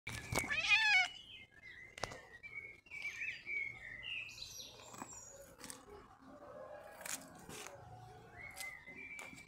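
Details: Mjaullo, a cat seen again in summer after a year away, gives one short, loud, harmonic meow at the start. Bright chirping birdsong follows through the rest, with faint background noise.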